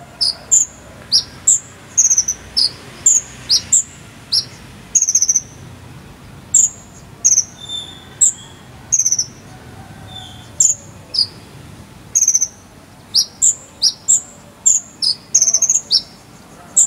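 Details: Long run of cricket chirping, 'jangkrik sambung cililin', used to tutor a konin bird: shrill paired chirps and falling slurs repeat steadily around two per second, denser toward the end, over low background hiss.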